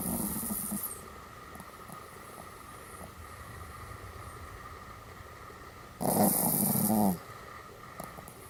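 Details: Morning and night greeting from a pet Pomeranian: a wavering vocal sound fading out at the start, then after a pause a louder, harmonic, moaning utterance about one second long, with a constant low hum throughout.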